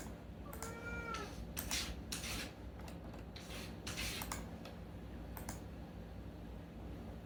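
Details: Unagi-kun, a talkative rescued cat, gives a single brief meow at night, followed by a run of rustling, thumping and clicking noises over a low hum.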